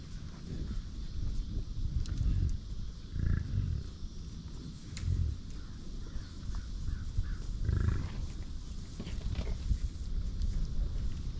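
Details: Several deep, rough grunts from American bison on a ranch, spaced irregularly about one to three seconds apart, each low and throaty, over persistent low rumbling noise.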